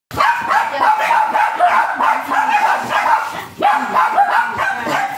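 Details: Japanese Spitz dog offered for stud service at Aringay, La Union; rapid, high-pitched yapping barks come in quick bursts, each note sharp and slightly falling, with a short pause midway before the yaps resume.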